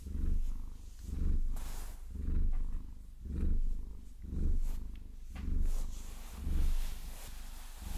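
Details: Purring from Vasilisa, a Maine Coon, during a long-nail massage she enjoys; deep steady purr pulsing roughly once per second in even breaths, with soft scratches and clicks of nails audible alongside.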